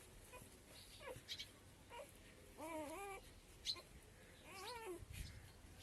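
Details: Street puppies whimper for their mother, hungry for milk, as she comes back. Two drawn-out, wavering whines stand out amid a few faint short yelps and soft background noise.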